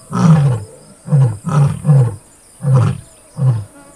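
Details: Closing grunts of a full roar by a white male lion and Satara Pride lioness beside a vehicle in Kruger National Park, South Africa, with two cubs nearby: six deep, short, huffing grunts spaced under a second apart.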